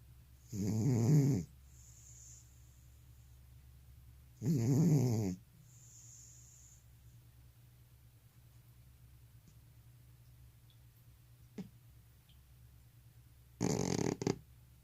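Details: Sleeping elderly cat with sleep apnea: two harsh snores about four seconds apart, then a long breathless silence of roughly eight seconds before a broken, stuttering snore resumes near the end.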